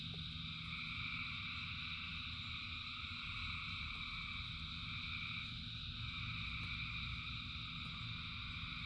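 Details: Frogs in rain, thousands calling at once, merge into a seamless high trilling wall of sound with a brief dip midway, backed by a deep continuous rumble of falling rain.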